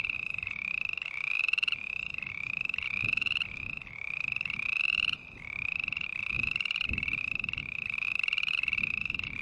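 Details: Steady run of green tree frog calls: short, buzzy, pulsed notes with a slight upward slide, chained back to back for the whole stretch, with one brief gap, over faint low background noise.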